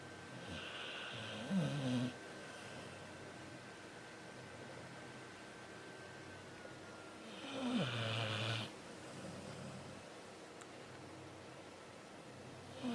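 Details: Sleeping cat named Xiaoxiao snoring. Two rough, rasping inhalations, each lasting about a second, are separated by several seconds of quiet breathing, with a faint steady hum in the room.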